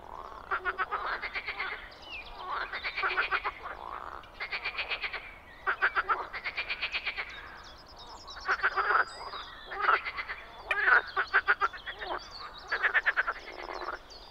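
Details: Frogs croaking in spring in the Czech Republic: rapid, pulsed rattling croaks in bursts of about a second, repeated with short pauses, several callers overlapping in a busy chorus.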